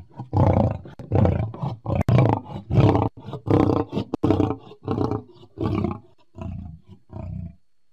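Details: Lion recorded July 2016, giving a steady series of deep, throaty grunting roars, about one every second, each a rough low burst, slowly weakening toward the end before falling silent.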